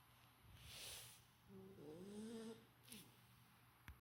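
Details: Sleeping Golden Retriever puppy giving a single soft snore with a thin, nasal whistling tone that wavers upward, over a faint low hum and brief rustling.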